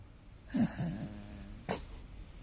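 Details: Sleeping dog snoring indoors: one low, buzzy, droning breath sound lasting under a second, followed by a sharp click.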